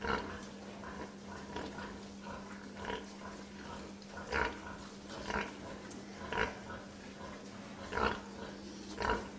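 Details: Pig grunting in a softer, irregular series of short gruff bursts, some louder than others, over a constant low electrical-sounding hum.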